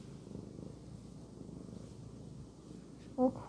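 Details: Domestic cat purring indoors: a steady, low rumbling throb that runs continuously through the whole stretch, with a brief faint higher squeak near the end.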